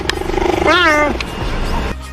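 A cheetah gives a brief, bird-like chirp that bends in pitch, after a narrator names the animal.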